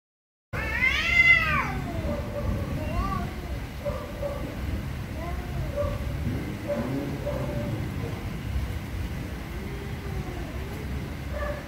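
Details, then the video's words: Very angry cats meowing loudly: one long, loud, drawn-out meow that rises and falls, followed by a string of shorter, softer wavering meows over steady low rumbling background noise. "VERY ANGRY CATS||CAT MEOWING VERY LOUDLY"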